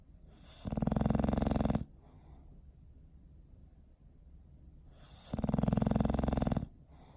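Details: Sleeping dog Bowser, recorded December 21, 2019, gives deep, rumbling snores: two drawn-out raspy inhalations lasting over a second each, with a quiet gap of about three seconds between them.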